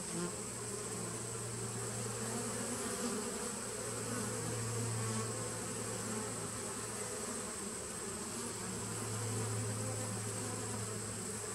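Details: Continuous hum from a 2017 honey bee nuc on 19 September 2018, strong low drone with brief louder swells around the fifth and tenth seconds, layered buzzing above and steady hiss.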